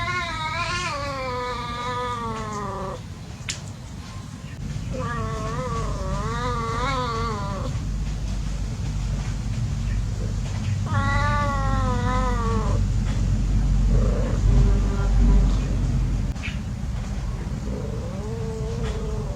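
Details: Cats at play: drawn-out, wavering yowls several seconds long, three long ones with pauses between, then shorter, softer mewing cries, over a steady deep rumbling background noise.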